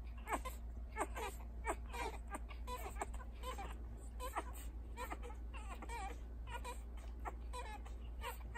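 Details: Feeding puppies, a litter of six, three boys and three girls just starting to catch on with feeding, make repeated squeaky whimpers and grunts, roughly ninety a minute, irregular and overlapping, above a constant low-pitched hum.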